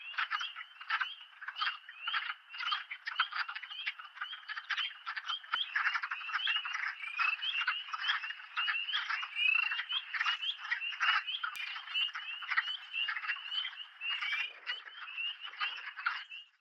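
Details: Male wood frogs calling in a breeding wetland near Keene, Essex County, New York, Adirondacks, on 4 April 2025, give a dense chorus of short, raspy, duck-like clucks, repeated rapidly and overlapping.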